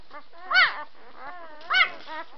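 Young White Swiss Shepherd puppies whine in high, tonal squeals that rise and fall in a quick arch. Two louder cries stand out about a second apart, with fainter whimpers between them.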